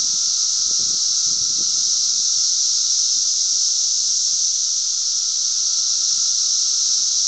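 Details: Cicadas loudly calling on June 10, 2007 in Glen Ellyn, Illinois: a continuous, dense, steady high-pitched electric hiss that holds unbroken throughout, with a faint steady tone beneath and some low rumbling.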